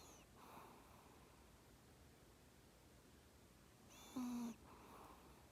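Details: A sleeping Maltese dog snores softly: one wheezy, whistling in-breath near the end, followed by a breathy out-breath, over quiet room hiss.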